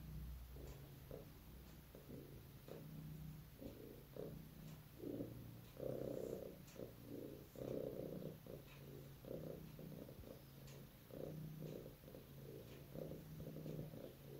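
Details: Sleeping, dreaming pet cat indoors purring with a steady rough rumble, broken into pulses with each breath, some louder snuffling bursts midway, quiet room hum throughout.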